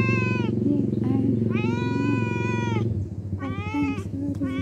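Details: Cat producing long, loud, harmonically rich meows, each lasting close to a second with a slight rise and fall, while a person talks quietly against a low hum.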